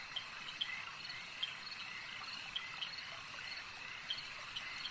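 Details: At a lake, frogs keep up an unbroken high-pitched chorus, punctuated by crisp short clicks roughly every half second to second, with no other clear sounds.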